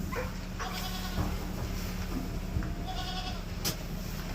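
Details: Young goat kids next to their mother, giving several short, nasal, harmonic bleats. One comes near the start and a longer one past the middle, over a steady low hum and faint rustling.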